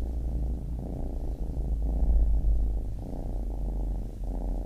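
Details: A baby kitten's deep, strong purr, a dense low rumble that swells and fades with each breath, the brief breaks coming about once a second.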